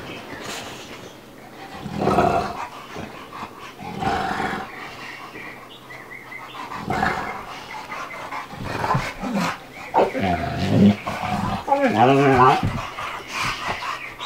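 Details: Playful tussle between Bubba, an American Bulldog aged two, and Ruby, a Dogue de Bordeaux puppy of five months; repeated deep growls and roaring snarls rise and fall, ending in a wavering, yowling growl, with some human speech.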